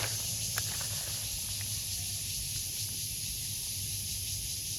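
A cicada gives a steady, high, hissing drone that holds without a break.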